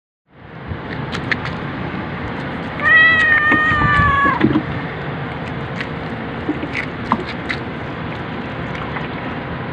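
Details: Pet cat recorded on 19 March 2023, orange cat Jay's second birthday: one drawn-out, slightly wavering meow lasting over a second, against a background of steady room noise and faint clicks.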